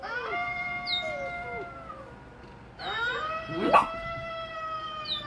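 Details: Pet Golden Retriever, female, gives repeated steady tonal howls with short falling slides between them, broken midway by a brief sharp noise.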